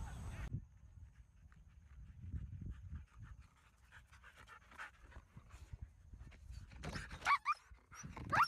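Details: Siberian Huskies exercising by running at a field; soft, breathy panting in uneven bursts over low rumble, with a louder rustling burst of handling noise near the end.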